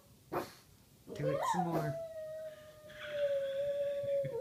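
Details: A Boston Terrier howls in response to a Native American flute being played: a rising yelp then a long steady howl held for about two seconds, with flute tones and faint voices.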